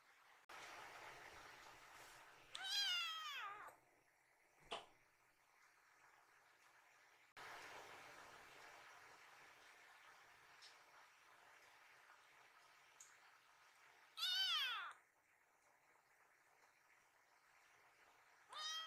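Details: Kiki, a rescued baby kitten in foster care, slips out of a person's arms after spotting her mother and hurries to her. Three high, arching meows, about 2.7, 14 and 19 seconds in, over quiet indoor room noise.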